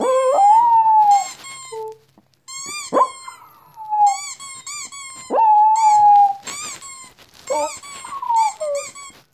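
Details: Dog reacting to weird sounds with repeated high, drawn-out whines, each sliding slightly downward, between sharp, stacked electronic chirps that recur every couple of seconds.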